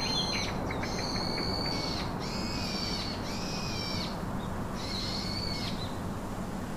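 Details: A yellow mongoose (Cynictis penicillata) gives a series of thin, high-pitched, drawn-out whining calls over a steady low rumble.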